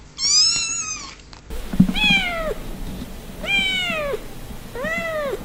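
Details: A cat or kitten gives four separate meows, each a rising-then-falling whine under a second long, spaced about a second apart, against a low rumbling background.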